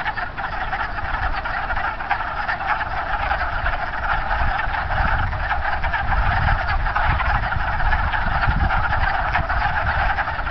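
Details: A dense spring chorus of wood frogs back in a pond on 9 March: a steady crackle of short, hoarse, duck-like clucks over a low rumble.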